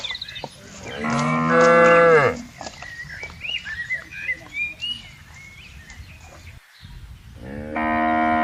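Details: A cow roaming freely in a wide palm oil plantation gives a loud, sustained moo, followed by several seconds of chirping birds, then another bellowing moo begins near the end.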